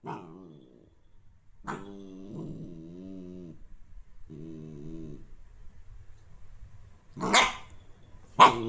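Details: Dog giving long, steady harmonic growls with brief pauses, building to two sharp, explosive barks at the end.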